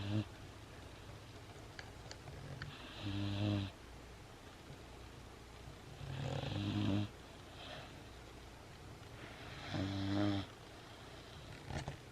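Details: A female Great Dane puppy snores loudly in her sleep, making noises when petted; slow, rasping breaths, each under a second, repeating every few seconds.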